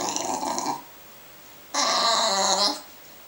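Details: A bulldog begs for porridge inside a home with Finnish speakers: two drawn-out, nasal, growly whines, a short one and then a longer, louder one about a second later, over a quiet room.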